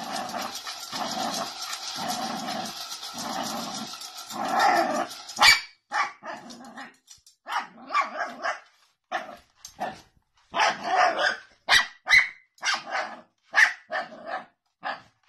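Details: Jack Russell Terrier barking in short, sharp bursts spaced irregularly, about one or two a second, after an opening stretch of softer, pulsing growl-like sounds.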